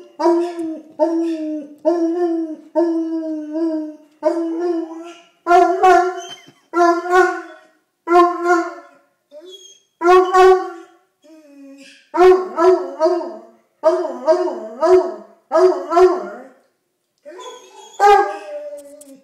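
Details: A hound giving a long sequence of baying howls, steady at first, then shorter, rougher and more broken yelping bays with wavering pitch and irregular pauses.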